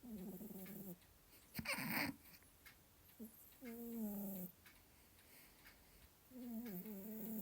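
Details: Sleeping male cat snores in a room with a ticking clock. Three long, low, rasping breaths come several seconds apart, with a brief rustling burst between the first two.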